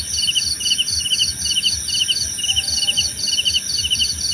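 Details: Crickets trilling in short regular pulsed chirps, two high-pitched voices interleaving about twice per second, over a steady shrill drone and a brief faint tone.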